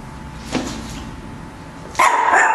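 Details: A black Chihuahua barking at the camera gives a sharp, high-pitched bark after a quiet start.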